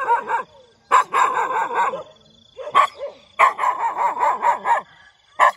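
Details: Morning barking from a dog in quick bursts: rapid runs of loud, harsh barks separated by short gaps, with one lone bark closing the stretch.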